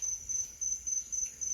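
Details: A forest cricket near a home in Maquiné, Rio Grande do Sul, Brazil, chirps steadily in short, high, shrill pulses, three or four bursts a second with brief gaps, against quiet background.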